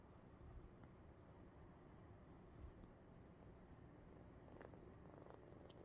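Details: Kitten about three to four weeks old, newly taken in off the streets, affectionate and wanting attention and play, purring as a low, steady, grainy rumble held throughout, with faint scattered clicks above.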